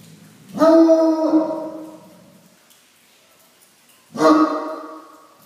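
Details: Bloodhound from Southern California barking at the rain, which it has seen only a few times: two deep, drawn-out baying barks with rich harmonics, each about half a second to a second long, separated by roughly three seconds of quiet.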